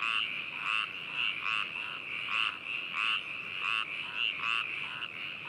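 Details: Frogs calling at Hakushu, Hokuto, Yamanashi, Japan, on 4 May 2018, in a binaural recording made with a ZOOM H2n. Loud, rough, pulsed croaks come in quick bursts about twice a second over a steady high chorus.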